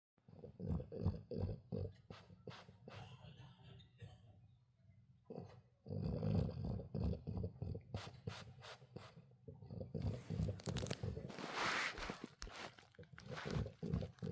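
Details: A teething French Bulldog puppy gives a run of low, throaty grunts and snorting breaths, repeated rapidly and unevenly, with brief rustling and handling noises near the end.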